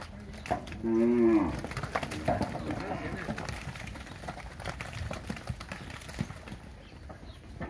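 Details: Nelore and Nelore-cross heifers, fifteen months old, in a herd of 77 near São José do Rio Preto, São Paulo state. One loud, harmonic, slightly wavering moo lasts about half a second, followed by background chatter and rustling.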